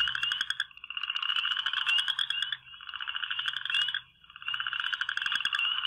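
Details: Western chorus frog in a Michigan backyard on the first day of spring, with warm, rainy weather forecast, gives repeated rasping, ascending trills of one to two seconds each, like a fingernail drawn along a fine-tooth comb.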